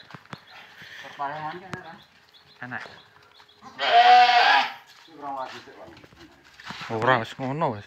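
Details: Fullblood Boer goats on a delivery trip to the Sahabat Sapi Farm pen, headed for Kediri, Lampung Timur. One loud, rough, wavering bleat rises mid-clip, surrounded by Indonesian speech.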